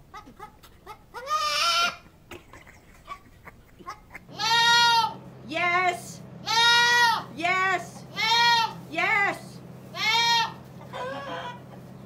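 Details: Loud goat bleating over and over, about seven strong, nasal, arched cries, each about a second long with short pauses between them, after some quieter voices and clicks at the start; a low steady hum runs underneath.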